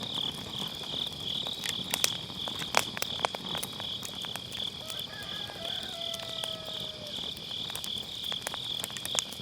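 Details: Beside a round fire pit on an autumn night, grass insects hold a constant high pulsing trill while wood pops and crackles cluster early, and faint sliding tones drift in; MKE600 microphone with low cut.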